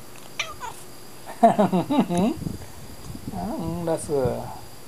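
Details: Domestic cat answering while asleep: short wavering, harmonic meow-like sounds, some rising and bending in pitch, alternating with a person's voice talking to it indoors.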